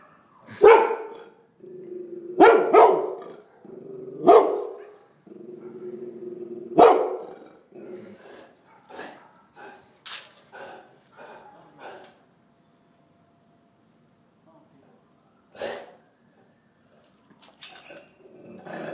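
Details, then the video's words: Golden Retriever puppy barking: sharp, loud yaps in a burst during the first seven seconds, some running into short growly whines, then softer scattered yips and a few quieter barks later. "Cachorro Golden Retriever Latindo"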